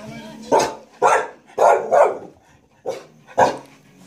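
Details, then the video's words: Pet dog Alice barks at the vacuum cleaner as long as her owner holds it. Six short, punchy barks come in an uneven run, two close together mid-clip, against a faint constant hum. "Alice likes to bark at the vacuum cleaner as long as my hand is on it"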